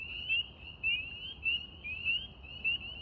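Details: Spring peepers calling on a warm April evening in Central New York, with wood frogs present; a dense chorus of high, slightly rising peeps overlapping steadily, loud notes standing out about every half second over a faint low rumble.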